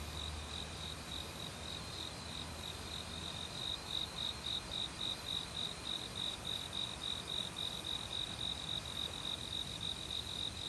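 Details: Cricket calling on an autumn night-time forest soundscape with a flowing valley stream and other insects. Shrill high chirps pulse rhythmically about three and a half per second, growing louder and more distinct in the second half, set against steady water noise.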